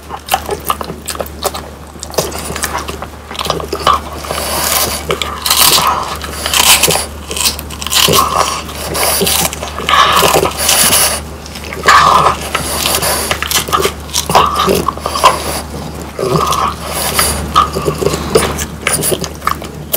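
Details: French Bulldogs Pang, Kun and Ppo crunching on home-dried whole quail indoors, dense bursts of crisp bone-crackling bites and scraping chews packed closely together, with a steady low hum underneath.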